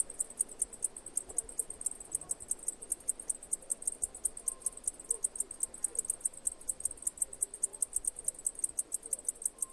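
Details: Cicada chirping in quick, evenly spaced high pulses, slightly less crisp and uneven in strength, with a faint hum and soft tonal sounds in the background.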